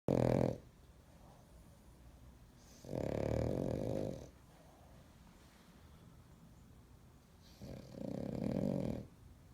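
A French Bulldog snores in loud, rumbling bursts, each breath separated by a few seconds of quiet.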